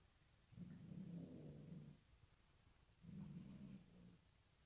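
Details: Sid, a Bengal cat frightened by a new bride, gives two low, rumbling growls about a second and a half long, separated by a pause, in a quiet indoor room.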